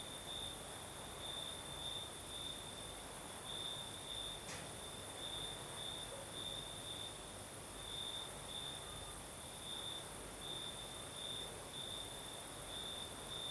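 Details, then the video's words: Singing crickets at night in the south of Crimea, night breeze blowing: a shrill pulsing trill at an unchanging pitch continues throughout, with one sharp click near the middle, a higher insect hiss and soft wind noise behind. "Сверчки поют"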